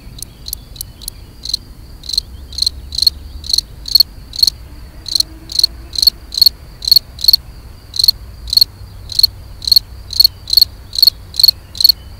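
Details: Gryllus campestris, the European field cricket, singing to attract a mate: a quick run of faint chirps, then loud shrill pulsed chirps repeating about twice a second, evenly spaced, with faint low hum beneath.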